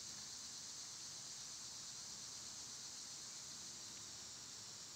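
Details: Cicadas singing in summer, when they are loud, on a day they were at their quietest: a constant shrill, sizzling drone, flat and steady, with a faint short tick near the end.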